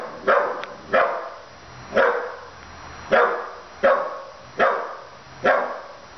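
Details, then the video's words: Mia, a 15-week-old puppy, barks at a stuffed toy dog: sharp, bright barks repeated roughly every second, seven in total, each with a short fading tail, over a quiet background. "MIA barking at a stuffed dog"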